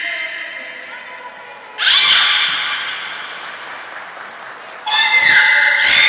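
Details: Nagoya Port Aquarium belugas Hodoi, Taanya and Mirai during pool transfer and training, 14 March 2021. A brief high tone, then two loud harmonic squeal bursts, one with a bending whistle, ringing in an indoor hall.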